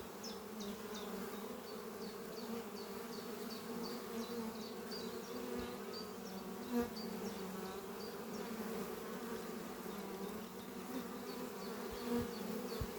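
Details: Spring morning at a thriving beehive under trees, honey bees in flight around the entrance carrying pollen; dense continuous buzzing hum, a bird's quick high notes repeating above it, a few soft knocks.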